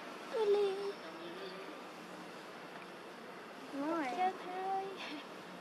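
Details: Abandoned baby monkey Julie, living in an archaeological park without its mother's care, makes two harmonic whimpering whines. The first is short and falling. The second comes a few seconds later as a wavering rise and fall, and a soft hiss runs underneath.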